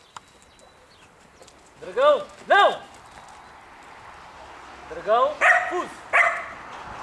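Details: Belgian Malinois shepherd, three years old and partly guard-trained, gives a pair of loud, harmonic barks, a pause of about two seconds, then a rapid run of three more barks.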